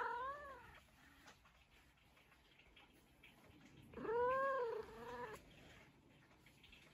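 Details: An indoor pet cat, addressed by its owner, gives two meows several seconds apart: a short falling one at the start and a longer arched, wavering meow midway, with low room noise between.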